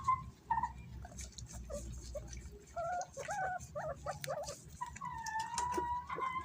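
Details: Guinea pigs kept as pets, competing for bananas; short high whistled squeals, then a cluster of quick chirps and a long steady whistle that wavers slightly, over rustling and soft knocks.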